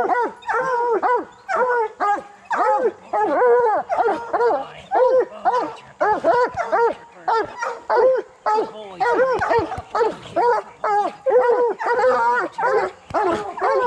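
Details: Coonhounds, bluetick and black and tan, in training to hunt raccoons, pour out rapid choppy bays, short curved bawls repeated steadily in a rhythmic stream with brief breaks.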